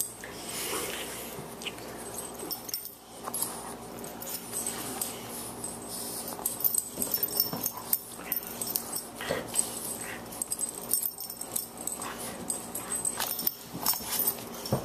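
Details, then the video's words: Two Boxers at play indoors, Margie, a 14-week-old puppy weighing 18 pounds, and the older Lou Dog: wheezy snorts, huffs and scuffling bursts, some sharp clicks and thumps, with short quieter pauses between bouts of rough play. "Boxers at play"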